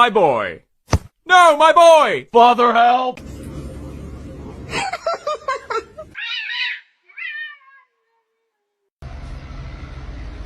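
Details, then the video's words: Domestic cat giving several loud, arching meows in quick succession at the start, each rising then falling in pitch, followed by choppy talking, a few short higher squeaks, then a low steady background hum. "cats meowing"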